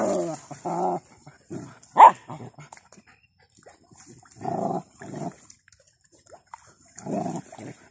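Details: Playful puppies and their father dog: rough growls in spaced clusters with one sharp high yelp near the two-second mark, quiet gaps between bouts.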